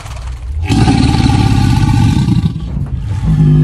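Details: Alligator bellowing: a deep, rumbling, vibrating roar that holds steady for about two seconds, with a throbbing low buzz underneath, then eases off before another low surge begins.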